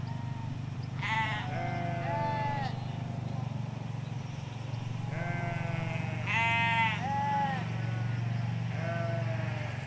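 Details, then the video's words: Ewes and lambs calling in English countryside in Hampshire, pasture by a hedge with a road beyond: clusters of tremulous bleats, two or three in quick succession, higher lamb-like and lower voices mixing, a pause, then more, with low road hum. "4K Sheep Field - One Hour Sound and Video"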